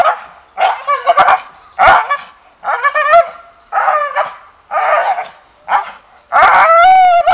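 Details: An English Bull Terrier gives a run of loud, rough barks roughly once a second, several bending upward into a whiny yelp near the end, dry room with no other noise.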